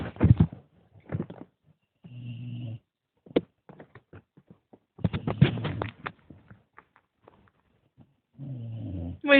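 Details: A dog snoring: two low, rumbling, droning snores several seconds apart, with scattered clicks and rustles between them and a burst of people talking in the middle.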